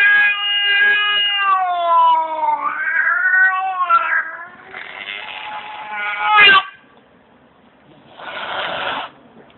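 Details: Domestic cat giving a long, loud, wavering yowl that rises and falls in pitch for about six seconds, ending in a sharp outburst, then a brief harsh hiss-like burst after a short pause.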